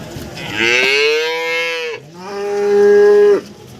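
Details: Breeding cattle at the Nganjuk cattle market in East Java, Indonesia. Two drawn-out moos: the first swells and fades, the second holds a steady, level pitch before stopping abruptly. Faint background chatter.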